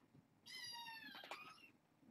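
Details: Indoors at bedtime, a young kitten from a six-kitten litter lets out one long, high meow that drifts slightly lower, with a brief scratchy rustle in the middle.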